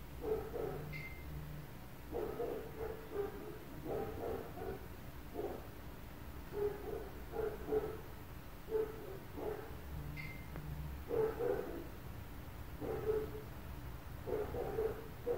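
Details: Neighbours' dogs around an apartment, barking constantly: muffled, distant barks come in clustered bursts, several per second, then brief pauses, continuing throughout against a low steady background hum.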